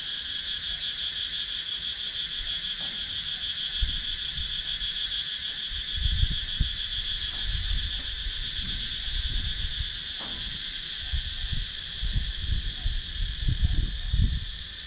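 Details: Continuous high, pulsing drone of cicadas from a wooded rural area in Sakon Nakhon, Thailand, filmed with a GoPro Hero 9 action camera, over low rumbling thumps of wind or handling noise.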